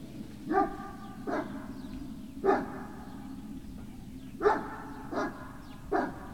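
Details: Great Dane puppies, 18 November 2018, early afternoon, giving six clear harmonic barks at about one-second gaps in two loose groups of three, with a constant low hum behind them.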